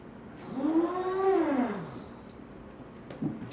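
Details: Foster kitten escaping its play area by jumping over a cardboard wall, watched by a golden retriever, gives one drawn-out arching meow lasting about a second and a half, then a brief soft chirp, in a quiet room.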